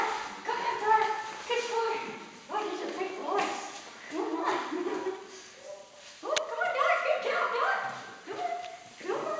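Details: Six AKC Standard parti Poodle puppies playing with a broom: overlapping high, harmonic yips and short barks in quick clusters throughout, with one sharp click near the middle.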